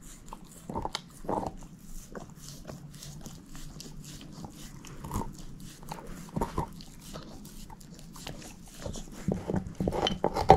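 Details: Steady gnawing by Moose, a shepherd mix dog chewing a bone in a small room, with frequent short clicks and crunches and a few sharper cracks, quickening toward the end.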